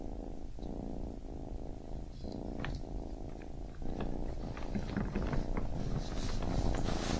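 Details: Deep rumbling purr from a baby kitten, cycling with breaths, joined in the second half by crackling rustles and small clicks, possibly from fur or movement near the microphone.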